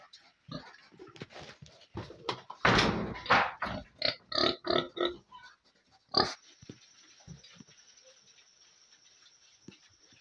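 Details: Piglets chowing down in a pen: a loud squeal, then a run of short, evenly spaced grunts, then quieter snuffling over a steady high hiss.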